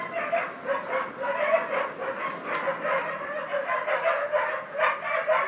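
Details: Young collie puppies, 50 and 63 days old, recorded on 20 July 2013, yipping continuously in rapid, uneven bursts of short, bright barks several times per second, with a brief sharp click partway through.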